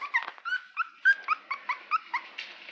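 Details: Litter of Cairn Terrier puppies; rapid string of high-pitched whimpers and squeals, about a dozen short bent notes in under three seconds, with a soft yip near the end.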